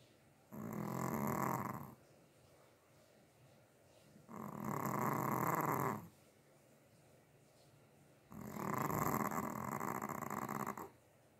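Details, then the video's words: Chihuahua asleep indoors, snoring in three drawn-out rasping breaths of roughly one and a half to two and a half seconds each, evenly spaced by quiet gaps of about two seconds. "Моя храпулька"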